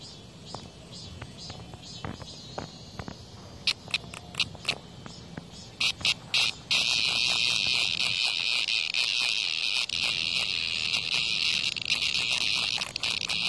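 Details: Cicada fighting off a hornet's attack near a house: several seconds of near quiet with sporadic sharp ticks, then a strong high buzz breaks out and holds steadily, flecked with clicks and scrapes.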